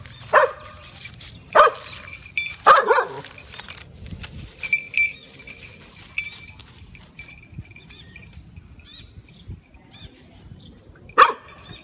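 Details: Pet Shiba Inu confronting a cat, with a second dog present, barks in sharp single bursts: three spaced barks early, then a quiet stretch with faint rustling before one last bark near the end.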